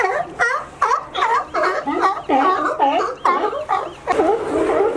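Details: California sea lions gathered by a fence leading to a favourite resting dock; loud, throaty barks repeated roughly twice a second, each a short rasping honk, the last one longer and rougher.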